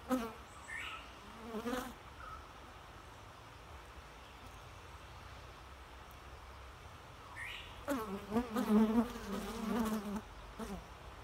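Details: A bee buzzes by briefly at the start, then near silence, then a longer close pass of low wavering hum that rises and falls for about two seconds.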